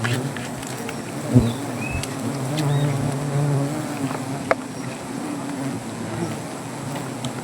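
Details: Angry honey bees from a wild native hive under a tree in Gazipur, Bangladesh, disturbed during honey harvesting: a steady low droning hum with occasional knocks and handling noises, with people talking nearby.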